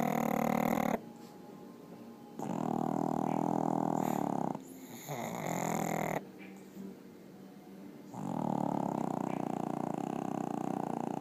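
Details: Two pugs asleep in bed snoring: loud rattling, buzzy snores lasting about one to two seconds each, separated by softer wheezy breaths, in a quiet indoor room.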